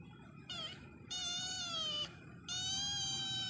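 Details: Three meows from a cat in quick succession: a short first cry, then a long, slightly falling wail, then a final sustained one. The tone is bright and harmonic, over quiet background rumble.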